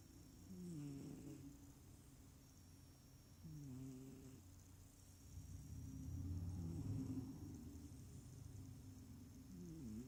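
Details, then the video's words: Small sleeping cat snoring rather than purring: a series of low, rasping breaths roughly every three seconds, some louder and rougher than others, with a faint high-pitched electrical hum throughout. "Snoring smallcat"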